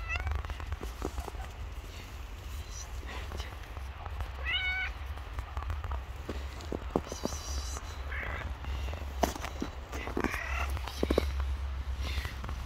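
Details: Hungry homeless stray cats on the street after a snowfall; several short harmonic meows, one clear rising-falling meow near the middle and more scattered later, over steady low rumble with human speech in the background.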